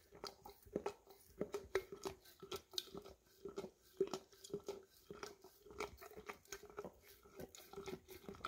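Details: Rhythmic slurping licks from an English cream Golden Retriever cleaning peanut butter out of a near-empty jar, roughly two to three strokes per second with a hollow knock of tongue against jar; Samsung Galaxy S10e recording in a small room.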